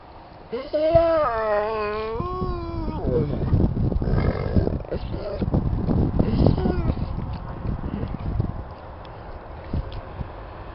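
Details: Bored Bernese Mountain Dog named Jessy lets out a long wavering whining howl near the start, then quiets while rustling, low noise and speech follow.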